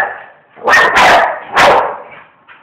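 Bull Terrier giving a few sharp, broadband barks in quick succession.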